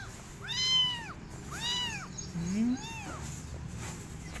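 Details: Abandoned kitten crying for an adult female cat to adopt it, which she refuses; three clear arched meows about one second apart, plus a brief lower mew near the end, over soft background hum.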